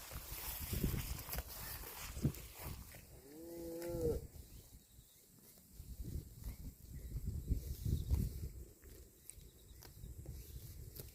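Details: Cattle eating grass; one short moo of about a second with bending, stacked harmonics, set against steady low-pitched rumbling background noise before and after.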